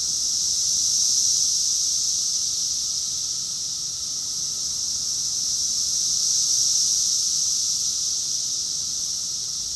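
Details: Summer cicada chorus recorded in June 2021 in Rockville, Maryland, USA: a dense, continuous high-pitched buzzing hiss that swells and fades slowly in broad waves, with no other clear sounds.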